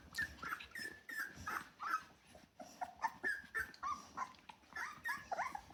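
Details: Rottweiler puppies from a litter of ten, 24 days old, indoors; rapid overlapping high whines and squeaks, several per second, some rising and falling, from multiple pups calling together.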